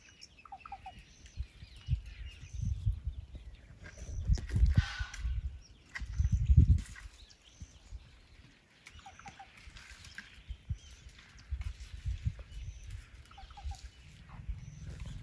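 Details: Herd of elephants in the night outside a tent in Tarangire National Park, Tanzania, making a purring noise that sounded like a big cat. Deep, low pulsing rumbles come in several bursts, with faint bird chirps above.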